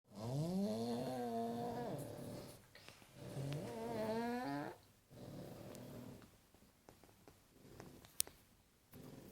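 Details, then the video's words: Paddy, a pug, asleep and snoring: two long harmonic snores, each rising then holding steady for about a second and a half, separated by a pause, followed by quieter breathy exhalations and faint room noise. "Paddy the pug snoring"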